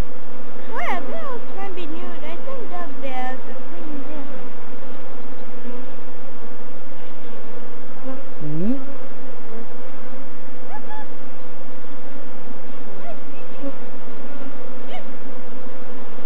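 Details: Swarming African honey bees, Apis mellifera scutellata, being caught in Kenya, Eastern Africa, during a search for the queen; a continuous deep buzzing drone dominates, with people talking briefly near the start and middle.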